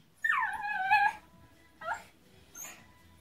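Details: Male Miniature Pinscher, wet after rain and being dried indoors. One drawn-out whine slides downward and holds for about a second, followed by two brief, softer yips.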